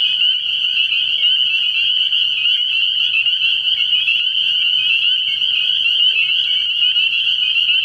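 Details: Early-spring night chorus of spring peepers at a frog pond. Countless overlapping high, piercing peeps merge into one steady shrill band, with a faint low drone underneath.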